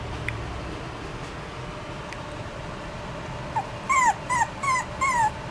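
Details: Maltipoo puppy, a poodle and Maltese mix, giving four short high whimpering yips with falling pitch in quick succession near the end, after quiet room hiss.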